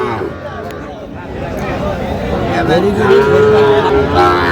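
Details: Cattle at the Aftabganj cattle market, where Dhaka farmers buy Sahiwal bull calves, 16 August 2025: drawn-out harmonic moos rising near the end, over steady crowd chatter and bargaining voices.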